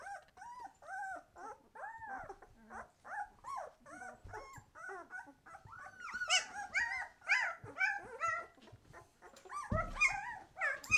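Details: White Swiss Shepherd puppies at twelve days old, eyes opening, whine in steady arched whimpers roughly twice a second, growing busier and shriller later with squeaky overlapping cries and a thump near the end.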